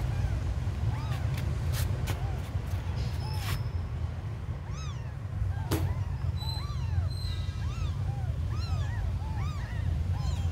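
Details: Abandoned kittens giving softer, scattered high mews in short bursts, with sharp clicks and taps in between and a persistent low rumble.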